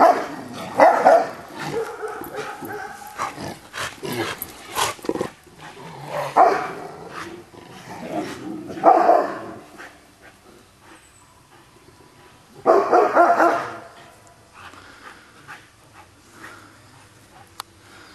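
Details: Bear, an old dog, barks at Ivan, a young pup jumping around him and ignoring the warning; several harsh barks come in clusters around the first, sixth to ninth and thirteenth seconds, separated by softer yips and rustling.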